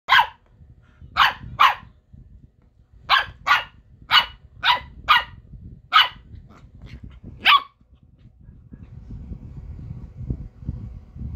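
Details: A Corgi puppy that wants to play barks in sharp, short bursts, about nine barks in two loose clusters over eight seconds, then quiet indoor rustling and low background noise.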